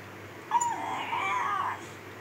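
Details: A reluctant Miniature Schnauzer, Khybee, keeps up his tantrum over getting out of bed with a faint, thin, wavering moan held for over a second against quiet room noise.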